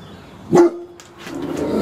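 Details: Great Dane indoors in a home office, one of two Great Danes named Slim and Mylah: a single sharp, loud bark about half a second in, with a brief tonal tail, followed by quieter room rustling.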